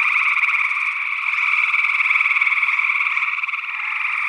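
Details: Gray tree frogs calling in Northwest Wisconsin in early June 2022, recorded with a pair of small condenser microphones in ORTF. A dense, unbroken chorus of buzzy trills, pulsing rapidly, with a possible second frog species mixed in.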